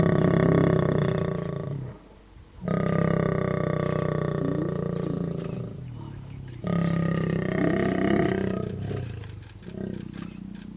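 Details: A lion gives loud, deep, rasping roars in long bursts during mating, at Masai Mara, Kenya.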